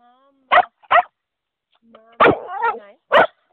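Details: Old English Bulldog producing a drawn-out, wavering, moaning vocalisation, said to sound like "mama", between sharp short barks or claps; a person's low voice is heard between them.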